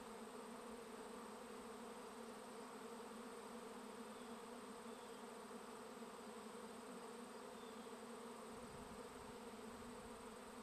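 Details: Swarming honey bees on a bee farm: a thick, even buzz of countless wings, constant in pitch and loudness, with a faint low rumble near the end.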